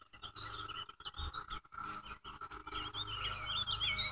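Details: Cicadas during a May 2016 infestation around a house, many on one tree: a steady, unbroken droning hum holds at a single pitch throughout, while chirping birds call over it in brief, higher twittering bursts.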